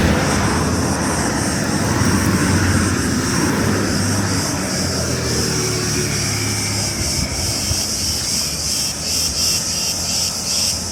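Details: Cicadas keep up a steady, high, shrill buzz in summer on the island of Crete, Greece, while an engine drones low in the background; cicada.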